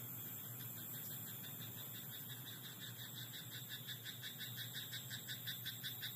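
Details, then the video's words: Frog croaking in a rice paddy at night: a steady run of rapid, clicking pulses, about three per second, strongest in the second half, over a constant low hum and faint high background hiss. "田んぼのカエル "Croaking frog in rice paddy at night""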